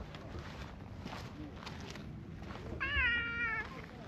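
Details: Affectionate stray tabby cat in a park, approaching while another cat is petted, making one clear meow under a second long, rising then flattening, after quiet rustling outdoors.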